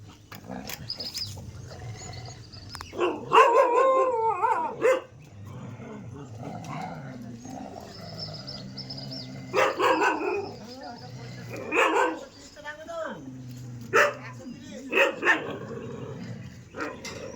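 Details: Street dog barking in several harsh, loud bursts a few seconds apart, some doubled, with a steady murmur of background noise filling the gaps between them.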